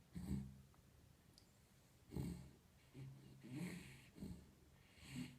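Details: A pet dog snores in its sleep, giving a steady series of low, rasping snorts roughly every second, each a throaty rumble with breathy hiss, some louder than others, in a quiet indoor room.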